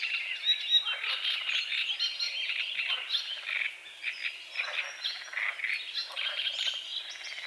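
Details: Frogs croaking at dawn on a small lake at the forest edge, morning fog over water lilies and calamus; rattling, pulsed croaks come in short bursts about every second beneath a dense, twittering chorus of songbirds.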